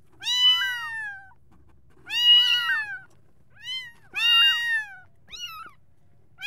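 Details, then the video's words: Kittens calling for their mother: high, harmonic meows that rise then fall, in bouts roughly every two seconds, some with a wavering break in pitch, over a faint low hum in a quiet room. "Kittens Meowing To Attract Cats | Kitten Calling For Mom Sound | Kitten Voice"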